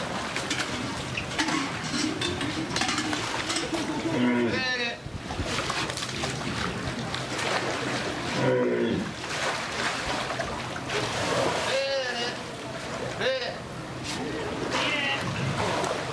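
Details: Walruses at Kamogawa Sea World, Japan, after feeding time on 19 July 2021, give deep, mooing calls that slide in pitch, repeated several times over steady splashing and crowd noise.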